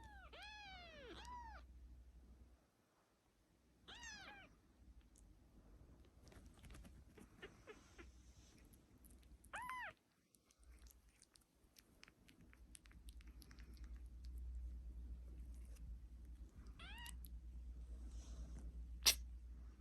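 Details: Kitten crying in a quick burst of three to four high meows, then single insistent mews spaced several seconds apart, with soft clatter and rising room noise toward the end.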